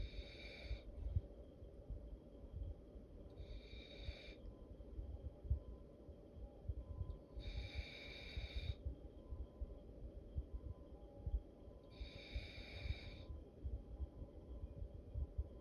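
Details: Sleeping dog snoring like an old man: slow, raspy breaths return about every four seconds as hissing bursts, over a steady low rumble indoors.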